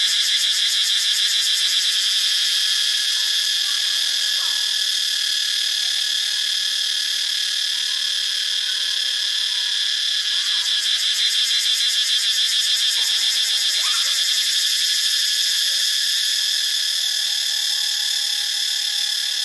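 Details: Thai cicadas recorded at Ubon Ratchathani keep up a dense, strident high drone with a rapid pulsing texture throughout, while soft, brief bird calls and a thin whistled tone sit lower down.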